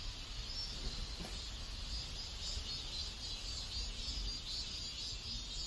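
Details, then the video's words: Neighborhood cicadas in South Korea keep up an unbroken high-pitched drone that swells slightly, with a low hum of surrounding ambience underneath. "ASMR South Korean Neighborhood Sounds Cicadas"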